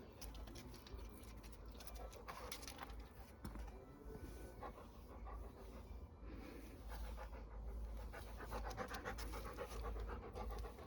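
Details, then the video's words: Pet Labrador Retriever panting during a calm session of drinking water and obeying commands: steady, breathy, low huffs at roughly ninety a minute, slightly uneven, over a soft background hiss. "Терапія лабрадором. ASMR: собака п’є воду та слухається"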